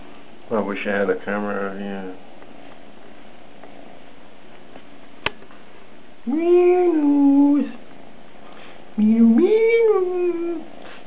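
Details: A two-month-old Maine Coon kitten meowing indoors, giving two long, clear, drawn-out meows that rise and then fall, after a person speaks briefly.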